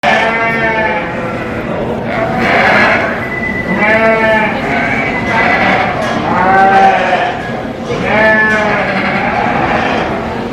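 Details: Sheep at the 2023 Royal Agricultural Winter Fair in Toronto, Canada, during a breeding sheep competition; several harmonic, wavering bleats repeat every two seconds or so over a loud crowd murmur in a large hall.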